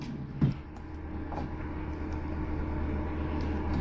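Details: Steady low rumble of road traffic, with a single sharp knock near the start and no animal voice.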